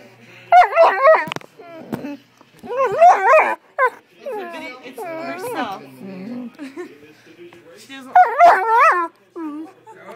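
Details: Great Dane, a female, looking at herself on camera for the first time, gives rapid clusters of wavering yelping whines in quick bursts, with quieter moaning between them and a person's voice faintly in the background.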